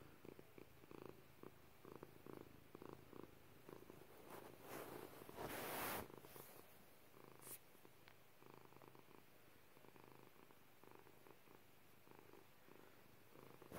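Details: Pepper, a female domestic cat, purring indoors: a steady low rumbling pulse repeated several times per second, with a brief loud rustling burst near the middle.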